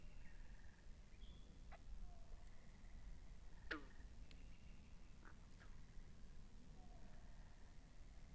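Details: Several frogs calling by a pond in a binaural recording, with overlapping pulsed buzzy trills, scattered sharp falling chirps and a short whistled note, all over a low continuous rumble.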